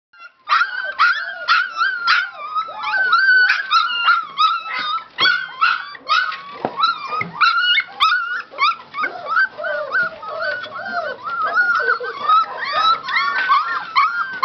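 Golden Retriever puppies whimper and squeal together, a dense chorus of high, wavering whines.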